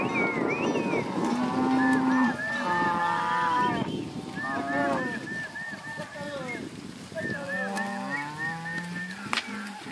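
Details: Cattle herd of Angus and Red Angus heifers and cows, many overlapping moos: a deep steady low bellow early on, then repeated higher wavering calls from several animals, continuous crowd-like lowing throughout.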